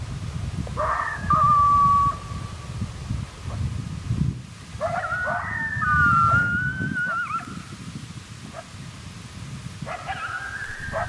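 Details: A male coyote, one of a pair angered by callers close in their territory in timber at daybreak, gives a challenge howl of barks sliding into wavering, drawn-out howls against a rumble of wind.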